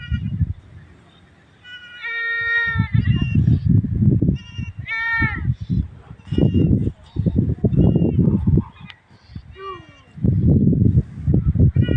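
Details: A goat and her kid give several wavering, nasal bleats, the higher, thinner ones likely from the kid, with steady low rumbling and handling noise between calls.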